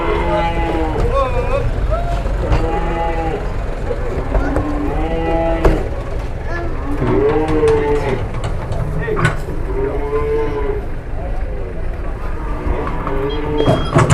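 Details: Masked cattle coming off a truck in Indonesia give a run of short arched moos, repeated roughly every one to two seconds, amid engine rumble, clatter and human voices.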